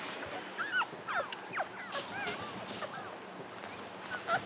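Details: Newborn English Cocker Spaniel puppies, seven days old, squeak in thin, high whines that bend up and down, several overlapping in quick succession with short gaps and faint background rustling.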